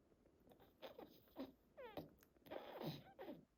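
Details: French Bulldog asleep at home, a habitual snorer, sleep talking and smacking its mouth as if eating in its sleep. Soft snuffles and wet smacks with one brief high whimper sliding downward midway, recorded quietly at close range.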